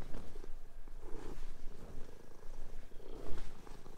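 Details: Domestic cats playing and fighting on a bed indoors while sheets are changed; low rumbling purr-like bursts come in soft pulses, with faint rustling of bedding.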